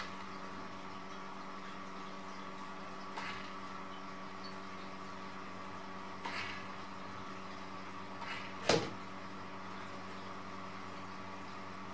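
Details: A steady humming room tone is broken by three or four knocks and thumps, the loudest near the end, with no animal calls.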